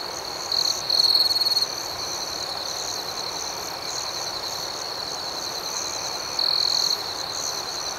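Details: Crickets chirping at night, calm ambience: a close cricket gives two loud high trilled bursts about five seconds apart, set against a constant shimmering chorus of distant crickets.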